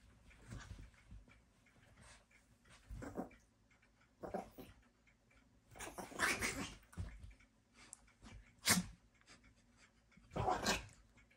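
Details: Sassy Chihuahua running around, giving short, harsh, noisy bursts, a few snorting huffs early on, then louder sharp yips near six, nine and ten and a half seconds, with quiet breathing in between in a small room.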